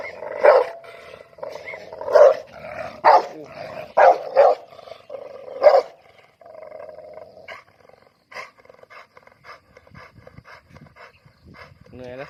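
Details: Dog barks loudly several times in the first six seconds, sharp and irregular, then fainter scattered clicks and knocks follow with a steady background hum.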